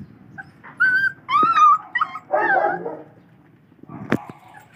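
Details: A four-week-old Belgian Malinois puppy at its first wet dog food meal gives a few loud, wavering high whines and a rougher yelp. A sharp knock sounds near the end, and the room is otherwise quiet.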